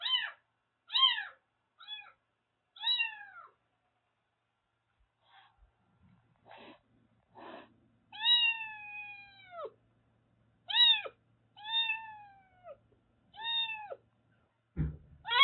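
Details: Formerly stray Siamese mix kitten, rescued in Kagoshima and bathed with shampoo, cries in a string of arched meows, some short and quick, others drawn-out and falling, with soft handling noises between and a thump at the end.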